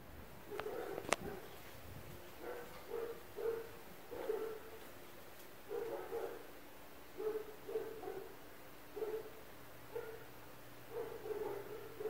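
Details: Persistent barking from dogs next to an apartment at 4 a.m.: a steady run of short, mid-pitched barks, often in pairs, roughly one every second, with a couple of sharp clicks early on and a continuous background hum.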